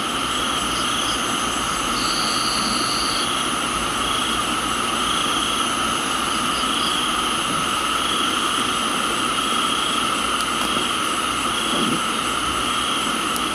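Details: Steady droning cricket trills fill a tropical garden in Thailand, a brief separate higher whistle-like tone appearing for about a second, scattered soft chirps, and rain hissing throughout.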